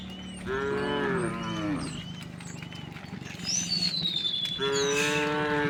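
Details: Tame cows and oxen, thousands strong, walking leisurely along a road to their resting place in open green countryside. Two long, rich, harmonic moos, one near the start and one at the end. A thin, high whistle glides downward between them.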